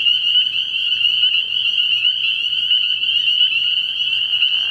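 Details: Spring peepers calling at night in early spring at a frog pond: a dense, shrill chorus of high-pitched peeps merges into one steady, unbroken ringing tone, with faint overlapping pulses throughout and no other clear sounds.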